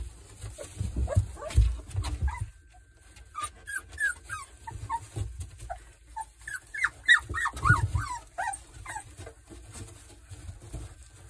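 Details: A litter of Boerboel pups, three weeks old, sired by Kodak out of Rhianna, gives high, thin squeaks, mostly short rising or falling yelps, tumbling over one another at uneven intervals. Deep thuds and scuffling from the pups moving sound throughout.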